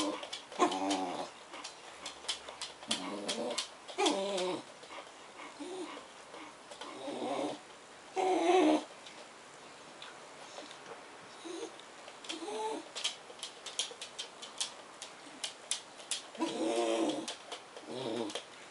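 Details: Black Bedlington Terrier Suki, meeting crated English bull terrier Kyle alongside liver Bedlington Bailey in a small room, produces funny noises: short harmonic whine-groans in separate bursts every couple of seconds, with clicking and scratching between them.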